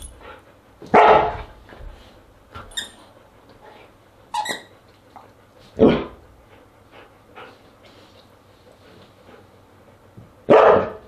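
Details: Siberian Husky vocalizing at a dinner party on August 10, 2022: four loud, harsh barks spaced a few seconds apart, at about one, six and ten seconds, with short high squeaky whine-like notes between them over a low steady background hum.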